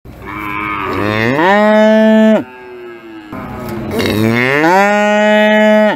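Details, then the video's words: Raging sacrificial cattle giving two loud, drawn-out moos, each about two seconds long. Each starts low, swells upward, then holds a rich, steady tone before breaking off abruptly, with a short quiet gap between them. "Sapi Moo"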